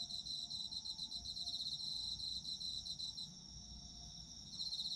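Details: Chorus of autumn insects, recorded as a sleep soundscape: rapid high-pitched pulsing chirps over a continuous ringing tone, easing for a moment near the end, with a faint low rumble beneath.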